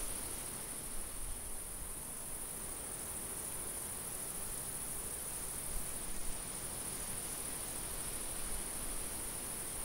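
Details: Field crickets calling in summer, an even, ceaseless high buzzing trill throughout, backed by a gentle wind hiss and low rumble.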